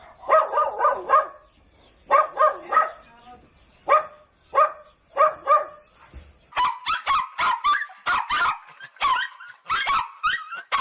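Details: Dogs of different breeds barking: quick bursts of three or four clipped barks separated by short pauses, then a faster run of higher, sharper barks in the second half. No other sounds are clear.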